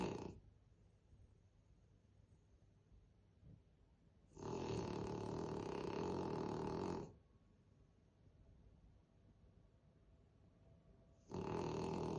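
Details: Krosh the French Bulldog sleeping on the stairs and snoring loudly, with long harsh rumbling inhalations of nearly three seconds, separated by quiet pauses of about four seconds, another snore starting at the end.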